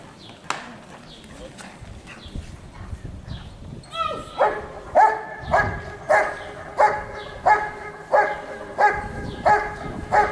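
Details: Giant Schnauzer Rick vom Lindelbrunn at a 2022 IGP CACT dog sport trial in Russia; after about four seconds of murmuring crowd and handling noise, loud harmonic barks start and repeat steadily roughly every 0.6 seconds.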